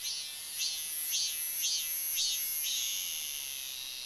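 A robust cicada sings a shrill, high, buzzing phrase that swells and fades about twice a second, five times in a row, over a steady background hiss.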